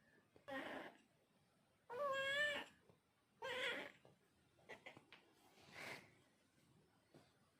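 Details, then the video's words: Cat meowing in three close calls, the middle one loud and clearly tonal, then softer, shorter mews and light tapping sounds toward the end. "Cat Sound Effect"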